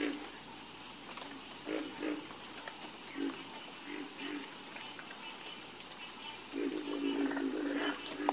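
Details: Night chorus of frogs giving brief, deep croaks in loose pairs and triplets, one longer drawn-out croak near the end, with a steady high-pitched insect hum throughout.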